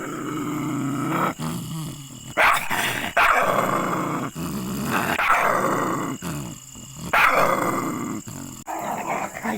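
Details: Aggressive dog barking angrily: raspy, drawn-out growling barks in irregular bursts, about one every two seconds, some loud and sharp, with brief gaps between.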